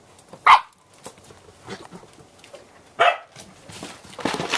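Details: Samoyed puppies, 8 1/2 weeks old, four littermates let back out on a deck after a rain deluge in early November, playing. Two sharp, high yipping barks about two and a half seconds apart, with soft scuffling between and a noisier burst at the end.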